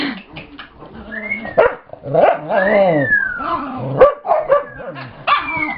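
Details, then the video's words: Dog named Brittany making her new growl while play-chasing another dog, Chase, with dogs Gypsy and Scotty nearby; varied harmonic growls, whines and yips with rising and falling pitch sweeps, several short bursts over the clip. "Brittany's new growl, she chases Chase, Gypsy joins in, Scotty's grumpy"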